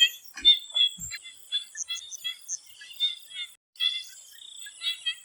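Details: Before sunset in a swamp, frogs give rapid pulsed, ticking croaks, dense at first, with a brief drop-out partway, while a thin high-pitched insect drone runs steadily underneath.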